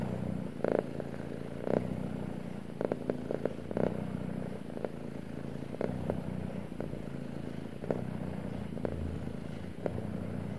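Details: A male pet cat purrs in a low, even rumble with rhythmic pulses about once a second, punctuated by sharp clicks and light rustling.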